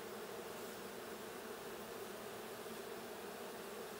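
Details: Honey bee colony in the blue hive, inspected June 20, 2022, producing an even, unbroken low-pitched buzzing drone with no other sounds.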